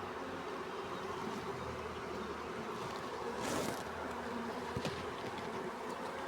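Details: Honey bee swarm being caught: a dense, steady buzzing hum fills the whole clip, with brief rustling and crackling noises from handling partway through.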